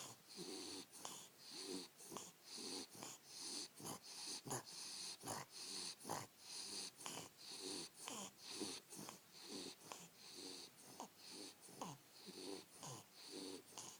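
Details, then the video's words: Wally, a Bulldog, snoring: wheezy, rasping breaths in steady pulses about once a second, each with a hissy upper rasp and a snorting low rattle, quiet and close. "Wally Bulldog snoring"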